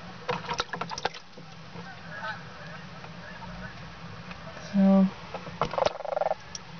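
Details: Six frogs, mostly leopard frogs, held in a bucket after their pond was cleaned out in autumn before release to a river, give short, low croaks and a quick pulsed chuckle, sounding upset.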